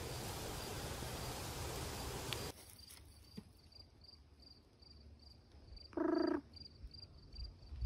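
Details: A gray treefrog (Hyla versicolor), heard in Ontario near Killbear National Park, gives one short, loud, buzzy trill over a steady high insect drone.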